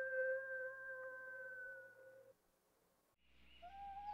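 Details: Steady coyote howl holding one pitch for about two seconds, then a pause and a fainter, higher wavering cry rising at the end.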